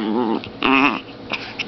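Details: Zombie, a 2.7 lb long-haired female Chihuahua, growls while playing indoors: a short harmonic warbling growl, a brief pause, then a louder wavering higher-pitched snarl lasting about a third of a second.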